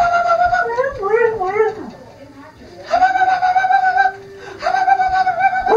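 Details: Sled dog huskies Bandit and Shiva howl together indoors, singing along with people; wavering, sliding howls rise and fall, then long steady held tones follow after a quiet gap, with voices close by.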